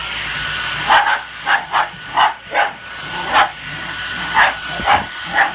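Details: Shiba Inu reacting to a vacuum cleaner, giving a series of short, high whining yelps spaced about half a second apart, over the steady hiss and tonal hum of the running vacuum.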